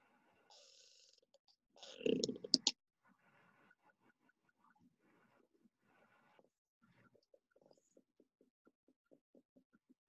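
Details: A killer whale gives a brief pulsed vocalisation, then a steady train of sharp echolocation clicks used to sense what is ahead.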